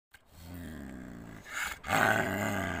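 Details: An angry snow leopard at Nalter Valley gives a low, rumbling growl that breaks into a harsh, loud snarling roar.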